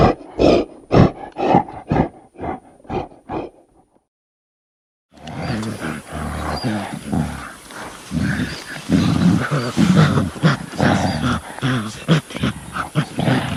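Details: Angry gorilla giving a rhythmic run of short, hoarse roaring pulses that fade out, then after a pause a continuous deep, rumbling mix of growls and thumps.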